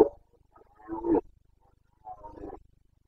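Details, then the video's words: Carpathian stag, a red deer, roaring during the breeding-season rut (boncănit) in Bucovina's mountain forests, Romania, 29 September 2022. Two short, hoarse, grunting bursts about a second apart over a quiet background. "Boncănit / Carpathian stag Breeding season"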